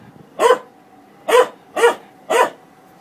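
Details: Dog barking at a washing machine: four sharp, mid-pitched barks, one lone bark then three in quick succession about half a second apart, over a faint steady hum.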